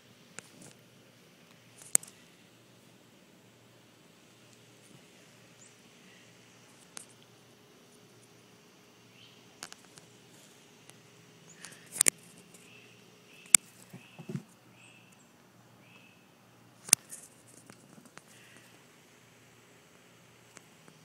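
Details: Orphaned fox named Foxy Loxy, raised by a licensed wildlife rehabilitator, greeting her on an afternoon visit. Soft, high, squeaky whimpers cluster in the latter half, mixed with scattered clicks, taps and light handling noise.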